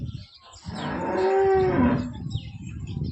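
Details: Holstein Friesian milking cow, second lactation, 20 litres daily, gentle and big, from Somthane, Sinnar taluka, Nashik district; a single steady, resonant moo lasting over a second over a rumbling background hum.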